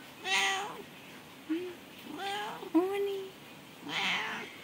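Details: Domestic cat meowing: several drawn-out, tonal meows, some rising then falling, and a couple of short chirpy ones, spread over a few seconds in a quiet indoor setting with faint background hiss.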